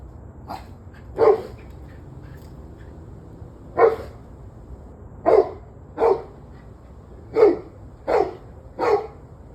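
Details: Single dog giving sharp barks, recorded 21 November 2023 at 7:06 pm, spaced roughly one to two seconds apart, with a few softer yips early on and quiet hum between.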